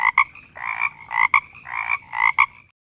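A frog gives loud, nasal croaks in quick doubled pulses, repeating about every second.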